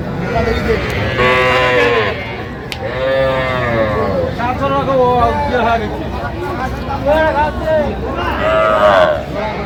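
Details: At Aftab Bazar livestock market in Bangladesh, 3 August 2025, young bull and heifer calves call repeatedly: several short, nasal bawling moos come in bursts between men's haggling voices and the din of the crowd.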